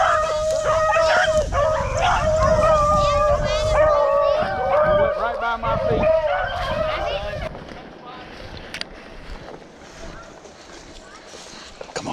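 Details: Hunting hounds chasing a freshly jumped rabbit through South Carolina pine woods on a windy afternoon; dense, overlapping drawn-out bays from several dogs for about seven seconds, then fading to wind and rustling, with men talking in the background.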